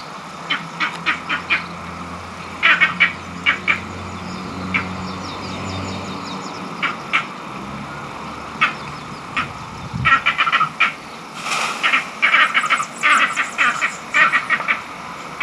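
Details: Green monkeys in Barbados call angrily, perhaps over mango trees or rank in the troop. Short harsh quack-like barks come singly and in quick clusters throughout, denser toward the end, over constant background hiss and a low rumble.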